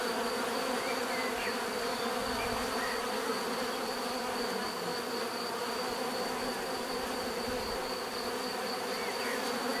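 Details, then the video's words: Natural bee buzzing fills the air, a dense unbroken drone with a high thin whine on top and faint bird chirps flicking through the background. "bees therapy relaxing natural buzzing sound"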